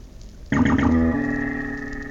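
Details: A minke whale, the smallest rorqual at about 7 metres, recorded underwater by hydrophone, gives a strange, psychedelic, twangy call: a sudden metallic burst settling into a long, ringing hum.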